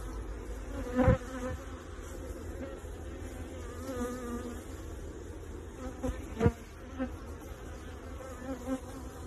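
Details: Honey bees from a beekeeping operation fill the air with a continuous low drone. Occasional louder passes of single bees rise briefly above the hum, and a few soft knocks are heard.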